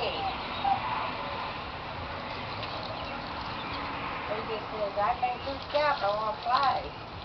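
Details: Siberian Husky going crazy in circles, excited by a chain, filmed 5/2/2009 at 8:36 PM; a run of high, wavering whimpers bending up and down in pitch through the second half, over a steady hissy background.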